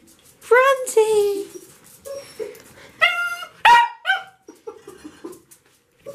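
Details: Dog excited at its owner coming home: high, tonal whines and yelps with clear harmonics, several drawn-out cries in bursts, interspersed with softer whimpers; a person's voice briefly heard.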